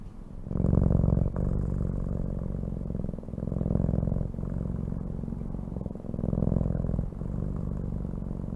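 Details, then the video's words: Loud, close cat purring that starts abruptly after half a second, then rolls on as a deep vibrating drone with breath-linked swells every couple of seconds. "CAT SOUNDS"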